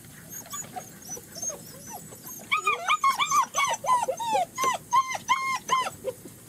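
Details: German Shepherd puppies on their first time outside with their mother at a Florida kennel, giving a rapid series of high whimpers and yelps, arched and falling whines repeated about three times a second, with a woman's voice praising nearby.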